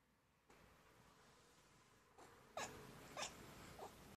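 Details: Moe, a pet dog, chirping while getting tummy rubs indoors: three short, high, rising squeaky chirps about half a second apart near the end, after quiet rustling and soft handling noise.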